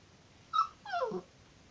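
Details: Moscow Watchdog named Charles, recorded 15 April 2019, gives two short whines: a brief level tone, then a longer falling whine sliding downward, with a faint background hiss.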